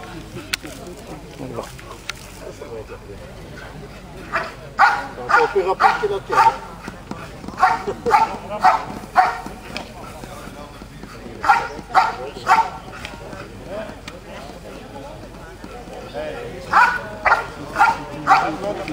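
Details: Female Belgian Malinois from KNPV bloodlines, described as very powerful, at an NVBK contest in category 3. Sharp barks come in quick clusters separated by short pauses, with voices and faint music behind.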